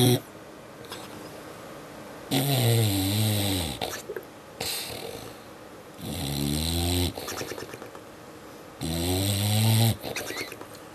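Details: A sleeping dog gives three long, low, wavering groans in its sleep, each lasting one to two seconds.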